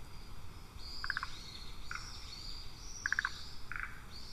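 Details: Frogs calling during spawning season, captured on a trail camera: short bursts of rapid pulsed notes at about one and three seconds, with fainter buzzy answering notes between them, over a low steady rumble of background noise.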